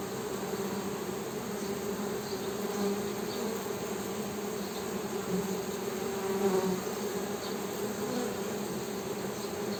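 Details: Droning hum of honey bees, steady low buzz with gentle rises in loudness and faint high chirps in the distance.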